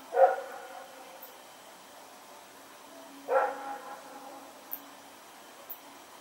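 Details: Rex, a dog barking while running around in the night, September 21, 2018: one sharp bark, then a longer rougher bark about three seconds later, with soft clicks and a steady faint hum between.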